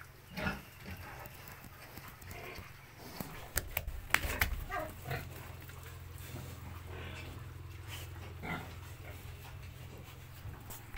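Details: Landrace and Duroc cross piglets on a farm giving irregular short grunts and squeals in quick succession, over a steady low mechanical hum with a few sharp clicks.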